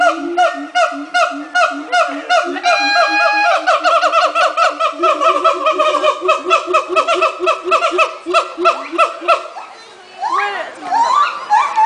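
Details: Monkeys at the Miami zoo chatter in quick, harmonic, laughing hoots that speed into a rapid stutter, then rise into whoops.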